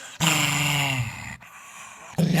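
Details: Dog making a weird growling noise: a sustained, low, rasping growl lasting about a second with strong harmonics, then quieter, followed by a human voice at the end.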